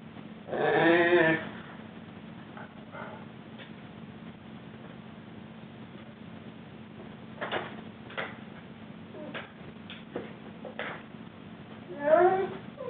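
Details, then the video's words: Rhodesian Ridgeback named Juba, three weeks into life at his new home and being crate trained, loudly unhappy about a time out: two wavering, moaning howl-like bursts at the start and end, faint clicks between, steady low hum throughout. "Juba the Rhodesian Ridgeback Wookie"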